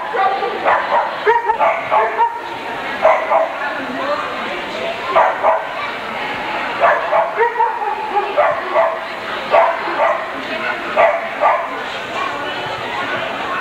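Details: Barking at an Alaskan Malamute dog show, February 1988: a long run of clipped, repeated barks, several dogs overlapping, sounding roughly every second against constant hall noise and people talking.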